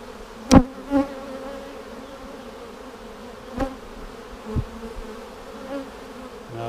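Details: Honey bees droning in a split hive on March 10, 2019, seven days after a vertical split, as queen cells are sought: a low steady hum with overtones, punctuated by several sharp clicks and knocks from frame handling.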